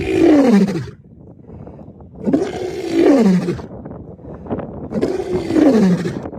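A lion gives three deep, moaning roars, each falling in pitch, about every two and a half seconds.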